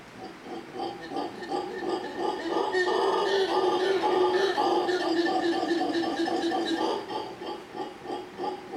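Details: Family of howler monkeys in big trees across from a hotel in Manzanillo, Costa Rica, giving a loud, dense roaring chorus of overlapping deep, rasping pulses that swell through the middle and ease toward the end.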